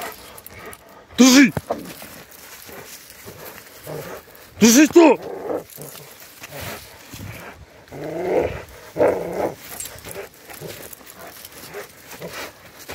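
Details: Rottweiler in self-defence attack training gives two sharp, loud barks a few seconds apart, followed by quieter rough vocal bursts, with people talking throughout.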